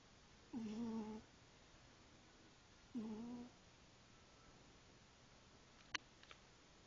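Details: Asleep female pet cat snoring in regular rhythm, two humming, slightly wavering breath tones roughly every two and a half seconds, followed later by a sharp click and a faint tap in a quiet room.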